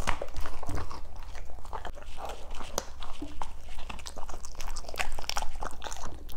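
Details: German Shepherds eating green foods, loud irregular crunching bites and wet chewing in quick succession, with steady background music throughout.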